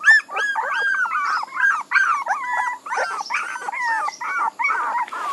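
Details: Steady chorus of puppy whines: tonal, wavering cries that arch up and slide down, following one another almost without pause. More than one pup seems to be calling over the others.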